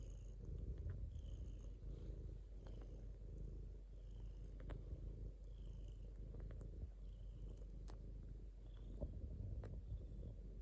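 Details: A domestic cat purrs steadily, a dense low rumble that swells slightly in waves, with occasional soft squeaks and clicks higher up.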